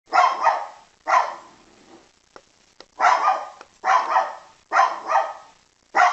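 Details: Poodle barking in short, sharp bursts, many of them doubled, roughly one bark per second with brief silent gaps between, each bark bright and mid-pitched with a quick fade.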